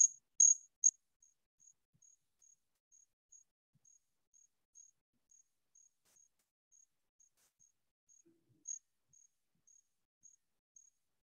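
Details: A Columbian trig, a cricket, sings a very high, pure, musical chirp, repeated steadily about twice each second; the musical tone comes from how its file and scraper are configured.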